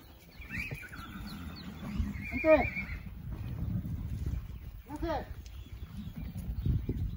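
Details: Young Quarter Horse and Appaloosa foals, 2018 and 2019 crops, called to a creep feeder for extra feed beyond their mares' milk; two wavering whinnies amid hoof and movement noise, a person's voice and steady low background rumble.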